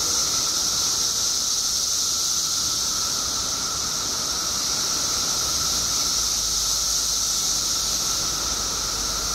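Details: Mass emergence of periodical cicadas in Illinois after 17 years underground; the massed insects produce a continuous shrill, hissing drone layered over a lower steady whine, with no breaks or rises.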